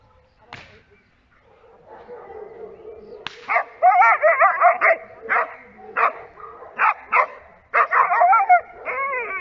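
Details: Giant Schnauzer barking during protection training: a quiet start, then from about four seconds a run of loud, harsh, harmonic barks in irregular bursts, each brief and sharp, with faint background noise.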